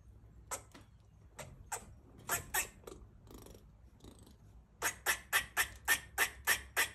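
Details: Pet rescue female squirrel in heat making mating calls and barking as she eats; scattered noisy chucks give way to a steady run of eight sharp raspy barks roughly every third of a second, indoors.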